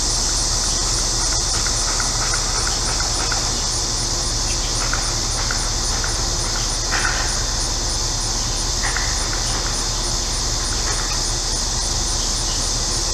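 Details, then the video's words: On a hot central Illinois day, cicadas keep up a dense, shrill, continuous buzz with a faint rapid pulsing on top. Scattered short bird chirps and whistles come through in the background, along with an air conditioner's low hum. "Central Illinois Cicadas"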